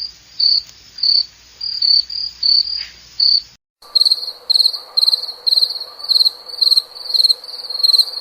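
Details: Cricket chirping in short, high, pulsed bursts roughly twice a second; the recording cuts midway to a second cricket sequence with the same steady rhythm and a faint low hum beneath.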